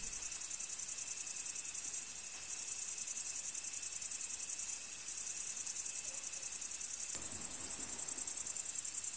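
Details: Field crickets in full chorus, a continuous high-pitched pulsing trill, evenly sustained from start to finish, over a faint steady lower hum; the background darkens slightly near the end while the chirping carries on unchanged.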